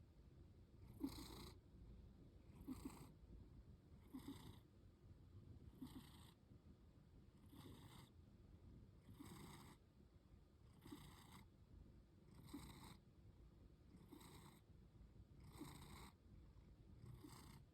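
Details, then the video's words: Lily, a one-year-old female cat, sleeps with her eyes slightly open and snores like a little engine. Soft breathy bursts come roughly every one and a half seconds over a low steady rumble. "When Your Cat Sleeps with Open Eyes… and Snores Like a Champ!"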